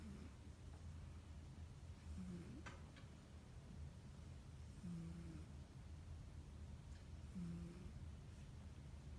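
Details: Domestic cat asleep and snoring, three gentle low snores spaced about two and a half seconds apart, each a short buzzy rasp, with a faint click and steady low room hum.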